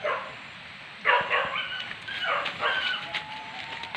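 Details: Hunting dogs giving tongue in a wild boar pest hunt in Padang Pariaman, Indonesia; a sudden loud bark, then rough overlapping yelps and barks, with a thin steady whistle-like tone running beneath.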